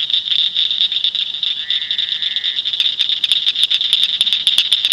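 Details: Northern cricket frog in Shelby County, Illinois: a steady high chorus hum at first, a brief lower trill in the middle, then sharp clicks beginning after three seconds and quickening into a fast series.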